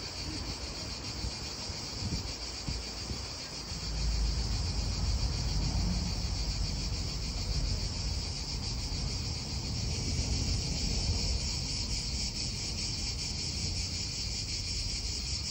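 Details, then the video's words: Quieter cicada chorus in an Italian park: a thin, high, rapidly throbbing buzz sits behind heavier wind and passing-car rumble that swells after a few seconds and stays loud. "Cicadas wind real atmosphere in an Italian park"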